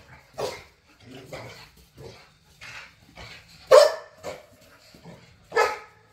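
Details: Backyard play among three pit bulls and a Malinois: irregular barks of varying loudness, two sharp loud barks near the end over quieter grumbling sounds.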